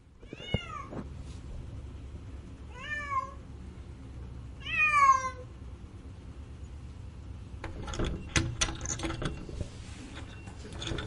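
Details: Cat uttering three plaintive meows roughly two seconds apart, each bending upward then sliding down, the third loudest. Knocking and handling noises take over afterwards.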